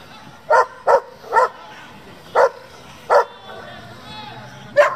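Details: German Shepherd from a breeding and competition working group gives six sharp, separate barks at uneven gaps over five seconds. Low background murmur underneath.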